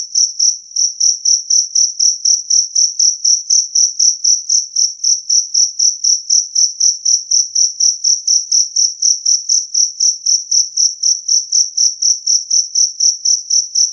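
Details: Loud, clean song of a two-spotted cricket (jangkrik kalung), meant to keep rats away. A piercing high chirp repeats in a long, very regular series, about four per second, against a quiet background.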